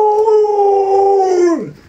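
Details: Alaskan Malamute kept as a pet, giving a sustained howl that holds steady for over a second and then slides downward as it fades out.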